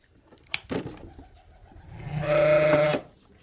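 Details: Sheep on Ewetopia Farms bleating during ear tagging of twin lambs: a loud, steady, harmonic bleat of about one second, preceded by clicks and handling noises.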